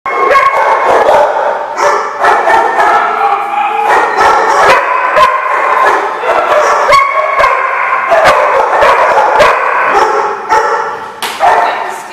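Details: Many dogs barking together in a lot, a dense, continuous chorus of overlapping loud barks and yips lasting the whole stretch without pause.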